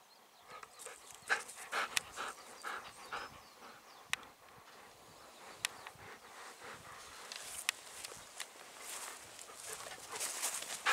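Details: Golden Retriever walking at dusk among spring paddy fields of satoyama countryside; quick, airy panting breaths roughly twice per second, loose in rhythm, broken by sharp ticks and a faint whimpering tone, soft outdoor background.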